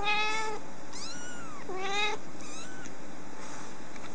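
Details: Rescued baby kitten giving loud, clear meows, some arching up and down in pitch, others flatter and strained, about four calls in quick succession over a steady background hiss.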